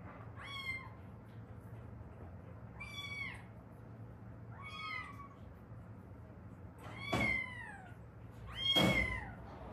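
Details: Meowing from a mother-and-daughter pair of former Haeundae street cats in South Korea, rescued after seven years outdoors: five clear, bending meows spaced about two seconds apart, the last two louder and harsher, over a quiet room.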